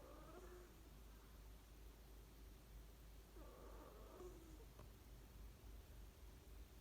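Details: Sleeping pet cat Ku snoring contentedly: two soft, buzzy harmonic snores a few seconds apart, separated by quiet breathing over a constant low room hum.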